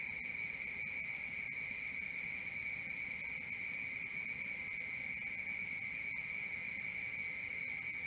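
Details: Crickets chirping at night, an unbroken high-pitched trill throbbing regularly nearly four times per second, accompanied by a still higher pulsed ringing; calm, with no birds, people or wind.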